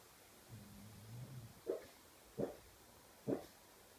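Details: Pug dreaming in its sleep: a low, rumbling growl-like murmur, then three short, sharp yips roughly a second apart, in a quiet indoor room.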